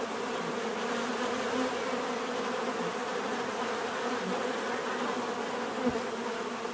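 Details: Even droning buzz of bees, steady low hum with higher hiss, and a single brief soft thump near the end.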